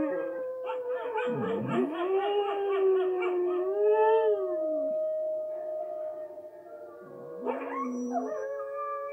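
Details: Siberian husky Richie howling at wolves shown on TV; swooping howls rise from low to a long level tone, then a fresh rising howl starts near the end.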